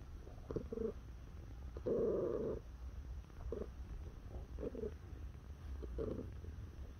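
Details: Domestic cat, a neutered male born in September 2017, sounding off as it is touched: brief clipped chirps and one longer buzzy murmur near two seconds, scattered over a soft steady purr.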